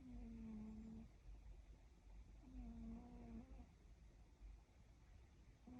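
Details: A cat snoring softly indoors, each breath carrying a faint, steady whistled nasal tone about a second long. The tone returns roughly every two and a half seconds over low, quiet room noise.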